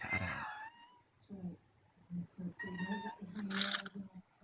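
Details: A pet cat named Bobbeh hunting a cicada indoors, giving drawn-out harmonic meows and shorter mews, with a low buzzing cicada drone underneath and a sharp noisy burst near the end.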